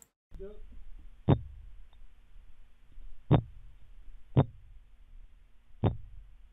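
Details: Orange-lined triggerfish giving low, dull thumps, each a sharp knock, spaced one to two seconds apart; the sound is named a drum roll and likened to a taser.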